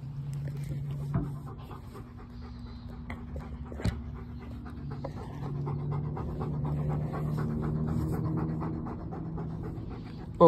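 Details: Pet dog named Bo panting in soft, steady, rhythmic breaths over a low hum, with a sharp knock near the middle and a brief louder noise at the end, while being urged to go get a drink of water.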